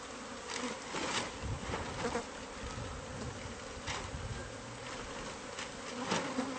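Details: Bees in a hive hidden inside the walls of a newly bought house, heard during removal; a steady low buzz of many insects runs throughout, broken by repeated knocks and scraping bursts of work noise.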